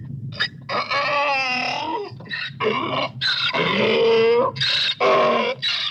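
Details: Harsh harmonic donkey braying in linked wheezing phrases with rising and falling tones over a steady low background rumble.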